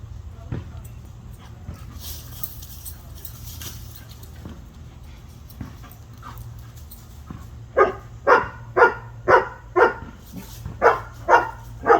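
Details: Labrador Retriever puppies in Douglasville, Georgia give a run of sharp, high yapping barks, about two each second.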